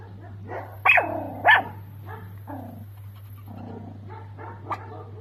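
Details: Toy Pomeranian dog in India, indoors: two sharp, high barks close together near the start, then softer whining and growly yelps trailing off, over a steady low electrical hum.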